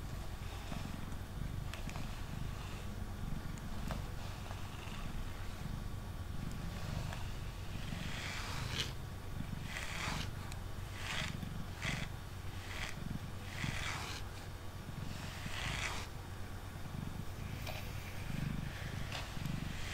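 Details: Male house cat named Mango purring on a table during brushing: a continuous deep throbbing purr underneath a run of quick swishing brush strokes, densest between eight and sixteen seconds.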